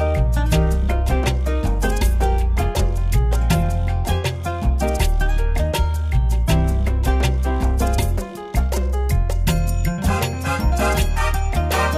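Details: Lively salsa music with dense percussion and maracas plays throughout, briefly dipping near the eighth second; no animal sound is present.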